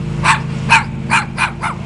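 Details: A dog that has come for a visit barks in short sharp bursts, five barks in under two seconds, with a steady low hum in the background.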